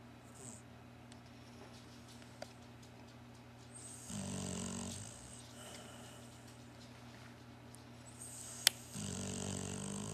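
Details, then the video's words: Sleeping Barclay, a Cocker Spaniel and Shar Pei mix, snores in a quiet room: two rough, throaty snore breaths several seconds apart, each a raspy low rumble with airy hiss on top, plus a single sharp click between them. "Cocker Spaniel Sharpai mix snoring!"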